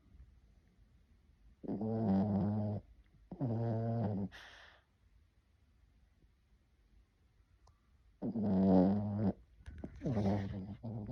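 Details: A dog snoring in a steady rhythm. There are four rasping, buzzy breaths of about a second each, coming in two pairs. Several seconds of near silence separate the pairs.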